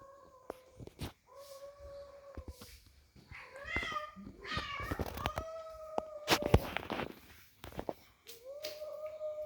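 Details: Cats fighting: long, drawn-out wavering yowls rising and falling in steady tones, broken by sharp clicks and thumps, with a few short harsher cries in between.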